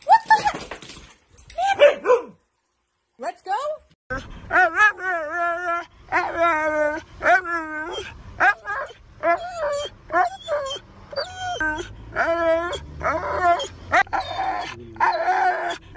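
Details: Pet Siberian Husky at home, chatty howling and yodel-like vocal bursts with wavering harmonic tones, repeated in short phrases, interleaved with a person's speech and some music.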